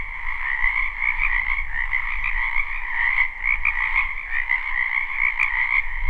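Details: A spring wetland chorus of croaking frogs, live with no looping: continuous layered trills hold steady, while low rumbling noise sits underneath and a short sharp tick breaks through midway.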